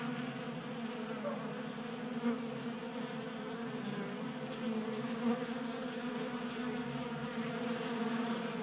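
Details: Honey bees at a table-top 3D printed feeder in a garage in Colorado, January, 60 degrees; droning hum of a group of bees, even and continuous, with two faint clicks.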